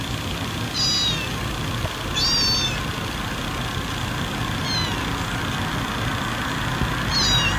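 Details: High, thin cat mews for calling cats, four brief descending calls scattered across the stretch, partly buried in steady broadband hiss and rumble.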